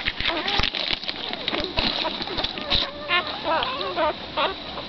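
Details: Six black greyhound puppies with their mother, Hoochie Mama, give high, wavering squeaks and whines that rise and fall in quick overlapping bursts, with soft shuffling and splashing sounds underneath.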